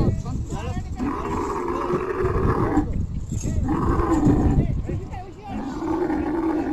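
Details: At Sohrab Goth market before Bakra Eid, a sacrificial camel being loaded onto a vehicle gives repeated low, drawn-out groaning bellows, several rising and fading, mixed with shouting men and busy market noise.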